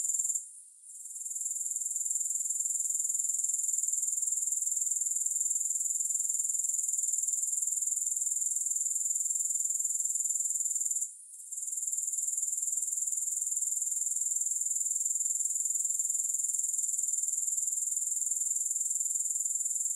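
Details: Steady high, hissing trill of grasshoppers without music, rapid even pulses sustained across the stretch, interrupted only by two brief dips, one at the very start and one near eleven seconds.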